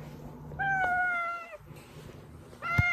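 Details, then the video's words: Domestic cat Oz, whose call brings the household cats Meonji and Dubu running from hiding, utters one sustained, steady meow of about a second. A second meow begins just before the cut, over a faint low hum. "고양이 부를때 들려주면 쪼르르 /고양이들 유인할때/고양이 울음소리"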